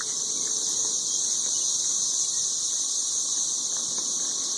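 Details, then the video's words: 13-year periodical cicadas calling in huge numbers from trees in Nashville, Tennessee, during mating. The sound is a steady, shrill, ringing wall of noise that holds at one level from start to finish. "Ridiculously loud 13-year cicadas"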